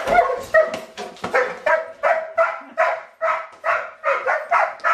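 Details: Doberman named Razor playfully chasing KC around a kitchen with a slippery floor, over and over: a rapid run of short, harmonic barks and yips, about two or three each second, with faint indoor clatter.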